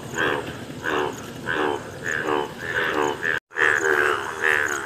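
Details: A yellow Indian bullfrog gives loud, nasal honking croaks, repeated in a quick steady series.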